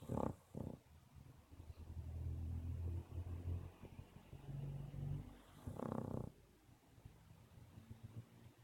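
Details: Sophie, a pet dog, snoring: short breathy snorts near the start, a low droning rumble through the middle, then a louder rasping snore around six seconds, with quiet room noise between.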